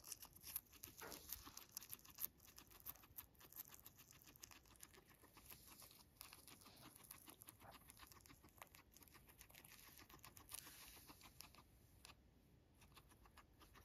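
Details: Domestic guinea pig Max feeding on dandelions: dense, quick crunching and tearing of greens, clicks coming several per second in an uneven rhythm, quiet indoor background.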